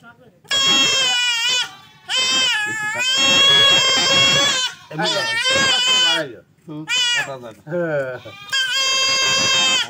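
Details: Goat buck bleating during castration: a run of loud, trembling bleats of uneven length, some long and sustained, others short and broken, with brief quiet gaps and faint voices.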